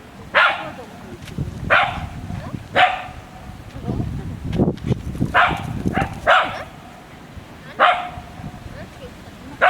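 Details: Barking from Shiiba, a Shiba Inu filmed on 4 January 2017: a run of short, loud barks at irregular one- to two-second gaps, with low rustling and muffled human voices between them.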